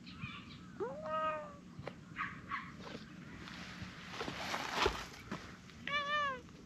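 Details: Orange tabby cat with a short tail, wagging it while seeking affection; two clear drawn-out meows, the first rising then falling near one second, a second similar meow near six seconds, with soft rustling and outdoor background hiss between.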